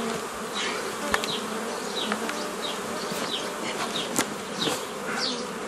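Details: Honey bee colony buzz recorded 15 May 2018 during old-style nucleus formation from a forager swarm, continuous low humming overlaid with scattered bird chirps and several brief clicks from hive handling.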